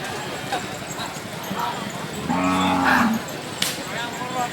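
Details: Cattle at the Haveri bulls market, held Thursday mornings: one low, drawn-out moo lasting about a second, rising slightly then fading, over steady crowd chatter and general market bustle.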